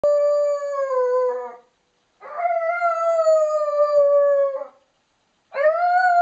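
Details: A one-year-old Lakeland Terrier howling: three long, clear tonal howls, each held steady for one to two seconds and falling slightly at the end, separated by short silent pauses.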